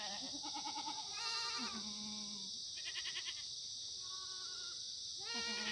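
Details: Korean black goats grazing freely on a mountainside farm in Sangdong-myeon, Gimhae, on a sunny Monday morning, September 2019; a herd bleats in turns, mixing trembling vibrato cries with flat sustained ones, backed by continuous high hissing.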